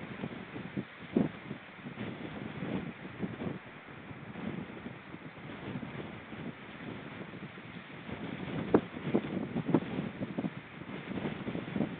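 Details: Steady wind buffeting and low rumbling noise with a few brief knocks, and no animal calls.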